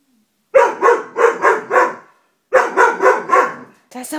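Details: Scared Dobermann puppy barking at a stuffed toy: a rapid run of five barks, a pause, then four more in quick succession, ending with a short high squeak.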